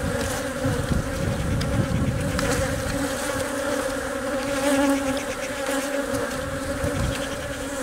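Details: Buzzing of a honey bee colony around its egg-laying queen, which workers protect and feed; a constant, layered hum holding steady pitch for eight seconds, with soft low rumble early on.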